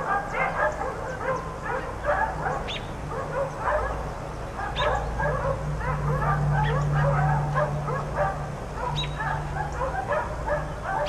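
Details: Four outdoor dogs left out all day bark in fast, irregular volleys of several barks per second, overlapping yips layered over a steady low mechanical hum.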